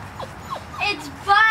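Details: Airedale Terrier puppy from a litter bred for sale. It gives three brief, falling whimpers, and then a person starts talking loudly.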